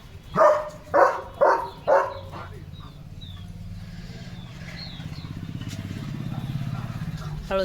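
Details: Leo, a German Shepherd, barks loudly while getting soaked in monsoon rain and playing: four sharp, quick barks about half a second apart, followed by a steady low rumbling drone and faint background sounds.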